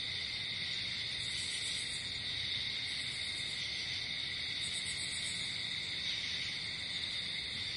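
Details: Nighttime cricket chorus outdoors: a continuous, even, high trilling drone, topped by brief pulsing buzzes near the second, third and fifth seconds.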